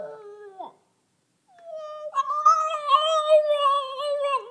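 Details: French Bulldog, a two-year-old, relaxed and 'in conversation' indoors: a short wavering tonal whine, a pause, then a long sustained howl-like note with rich harmonics, slightly wavering, ending in a downward bend.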